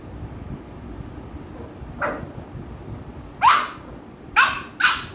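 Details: American Bully named Ami annoying housemate Mikku, giving a soft bark followed by three sharp, loud barks in quick succession toward the end, with low room noise underneath.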